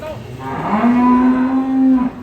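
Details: Agitated cattle coming down off a truck give a single sustained moo, low and steady in pitch, held for well over a second before cutting off, with a softer rising onset.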